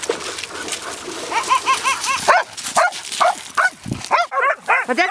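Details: Big dog and little dog at play, a little brother who follows his big sister everywhere: a run of high, harmonic yelping yips and short barks, mixed with people talking and laughing nearby.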